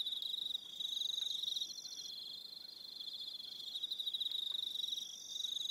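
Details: Evening cricket chorus on Aroha Island, New Zealand: dense, steady high pulsed trills with several overlapping callers, a main band near four kilohertz and thinner shriller trills above, starting and stopping in turn.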